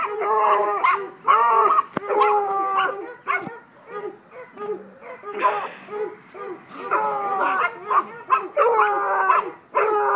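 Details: Young Treeing Walker Coonhound, five months old, baying in repeated ringing, drawn-out barks with a few shorter yelps, spaced irregularly over several seconds; a man's encouraging voice mixes in between the calls.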